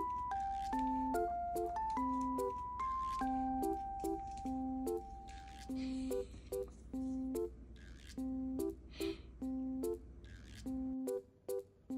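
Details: Cheerful instrumental music with bright, bouncing melodic notes and steady percussive hits over a low hum in a small indoor room; no animal voice is heard.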